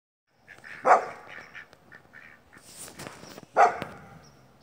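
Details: Great Pyrenees dogs Moose and Molly, two deep barks about three seconds apart with quieter grumbling sounds between them.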